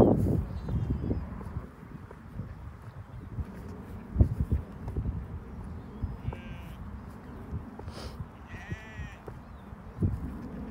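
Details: Sheep, a ewe and her lamb being fetched, give two short wavering bleats near the six- and nine-second marks over steady low thumping of hooves or footsteps and rustling.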